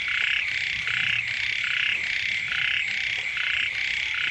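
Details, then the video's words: Frogs calling beside a house as the first rains arrive, a dense chorus of pulsed, buzzy croaks repeating about once a second, each burst stacked in bright bands, with a steady high hiss above. "เสียง กบ เขียด ร้อง อยู่แคมบ้าน"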